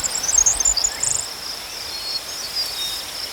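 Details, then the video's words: High steady cricket trill, with a cluster of fast, sharp, higher chirps in the opening second before it settles back to the even drone. "Crickets chirping sounds"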